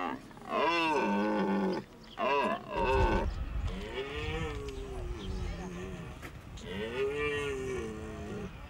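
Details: A red deer stag roars during the rut at the end of September in Hohe Tauern National Park, Austria, with deep, harmonic bellows rising and falling in pitch.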